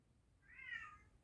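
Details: European tabby cat, a male a little over two years old, meowing indoors in the background while a man talks about a scale model; one faint, drawn-out meow of about a second that swells and fades, with a low room hum beneath.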